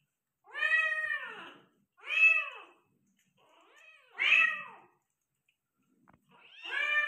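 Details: Persian cat giving birth to five kittens, meowing indoors: four drawn-out, arched harmonic meows, each under a second or so long, spaced by short silences, the third strongest and brightest.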